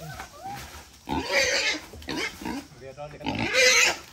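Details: Wild boar raised for 11 months on grass, vegetables and cold rice, squealing while a father and son catch it to weigh for sale; three loud, harsh, shrill squeals, each under a second, with men talking between them.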